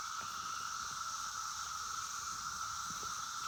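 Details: Brood X 17-year periodical cicadas at Oregon Ridge Park, Maryland, on 26 May 2021 make a dense, unbroken high whine, with other cicadas, red-winged blackbirds, catbirds and a fainter hiss of other insects beneath.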